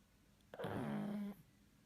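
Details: Sleeping pug giving a single snore lasting under a second, a nasal rasp with a low droning tone that dips and then holds steady, set in a quiet indoor room.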